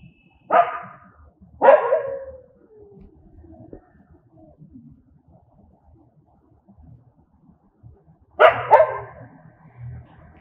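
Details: Barking from angry dogs: a quick pair of harsh barks near the start, a long quiet gap with low shuffling, then a double bark near the end.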